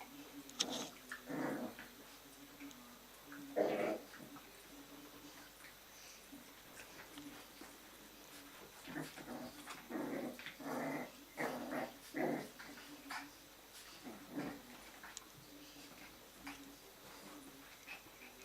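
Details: Jack Russell Terrier puppies from litter A in a breeding kennel during an evening playtime, giving short scattered growls and yips in bursts, some louder around four seconds and between ten and fifteen seconds, over quiet indoor background hum.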